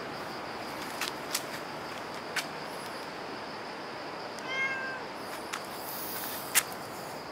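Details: Cat at Dockyard Garden, 24 September 2016 around 6:18 am: a single short meow with clear stacked harmonics, rising then falling, about half a second long midway through, over steady low background hiss with scattered faint clicks.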